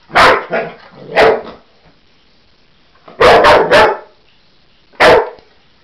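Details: Cocker Spaniel Husky mix dog barking at a toy animal it sees for the first time and seems to think is real: two single sharp barks, a quick run of three, then one more bark, with quiet gaps between.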